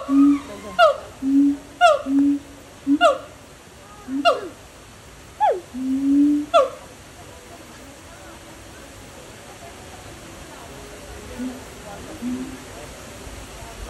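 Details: A little noisy monkey at Dubai Safari in the UAE gives about seven loud, harmonic calls, each sweeping upward, spaced roughly a second apart over seven seconds, then falls quiet to faint background hiss.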